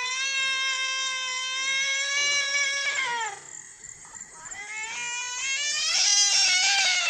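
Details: A white cat and a brown cat crying like children: a long level, high, bright yowl, a brief drop and pause, then renewed rising cries growing louder.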